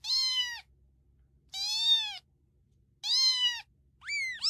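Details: Domestic cat mewing in a pet compilation, four clear high-pitched meows roughly a second and a half apart, each slightly arched in pitch and bright with overtones, with very little background noise.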